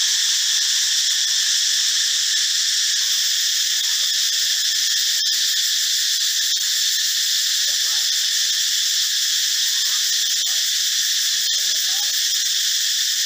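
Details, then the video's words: Male cicada chorus in a forest, a loud insect of morning and dusk: a continuous high shrill buzz in stacked bands that holds level the whole time. Faint low sounds sit far beneath it. "จักจั่น แมลงเสียงดังแห่งป่า"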